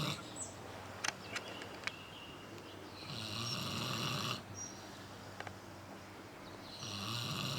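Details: Harley the pig snoring while asleep, a low rasping breath repeated in slow cycles, with broadband hiss swelling on each breath and a few faint clicks in the room.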